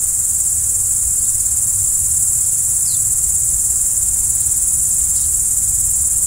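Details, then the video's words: Crickets at night keep up a steady, very high ringing trill, with two brief falling chirps on top and a quiet low rumble underneath. "Stars at Night BLACK B/G - Video & Audio Crickets"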